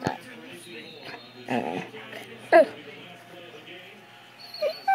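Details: A Great Dane seeing herself on camera for the first time gives short, high whines and a sharp yip, with a person talking softly.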